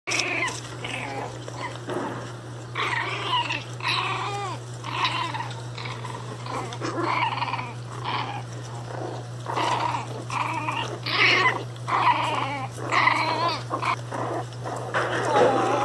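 Angry Pinschers bark in sharp, high, snarling bursts that repeat every second or so.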